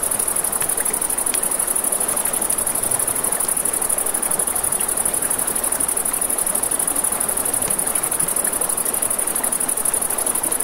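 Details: Crickets at night beside a river near a campfire: a steady, very high, rapidly pulsing trill runs unbroken throughout, over crackling flames and the rushing hiss of flowing water.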